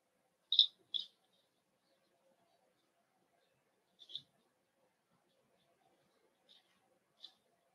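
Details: Cavalier King Charles Spaniel puppies in their home puppy pen, meeting several of the household's older dogs for socialization: short, high, thin squeaks, a quick pair near the start, then single ones spaced a few seconds apart, in an otherwise quiet room.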